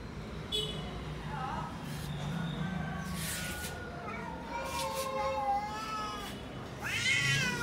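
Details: Cats in a garden giving drawn-out wavering meows, a long descending call mid-stretch and a sharper rising one near the end, over steady low outdoor noise.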